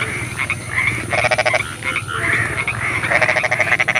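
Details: Frogs at night in the rain, several voices overlapping: buzzy pulsed croaks in short bursts alternating with rising whistled notes, repeated steadily against a background hiss.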